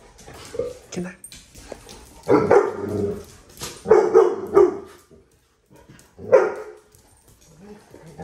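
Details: Dog barking at a dog park: three bursts of deep, rough barks, the first two drawn out, with quiet talking and park noise between them.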